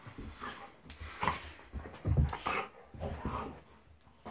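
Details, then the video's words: Two pet dogs, Monty the Golden Retriever and Eric the Labrador, wrestling in play; dense gravelly growling and snorting bursts follow one another with barely a pause. "Monty the Golden Retriever vs Eric the Labrador"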